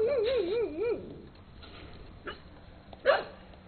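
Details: Dogs Rusty, a brown skinny mutt, and Peekero, a red Husky, indoors in late 2006: a wavering, yodelling whine rising and falling for about a second, then two short sharp barks, with a person's soft greetings.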